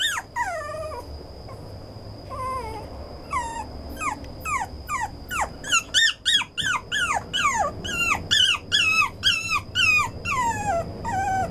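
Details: Brown male Toy Poodle whining in a series of high, squeaky, falling whimpers, some short and some drawn out, coming in irregular bursts with brief gaps, over a steady high-pitched tone throughout.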